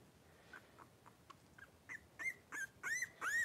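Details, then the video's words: Three-week-old blenheim Cavalier King Charles Spaniel puppies wrestling in their pen, five in the litter; quiet squeaks build into a run of high arched yelping whines, each louder than the last, roughly every third of a second. "3-Week-Old Cavalier Puppies Wrestle and Play Live"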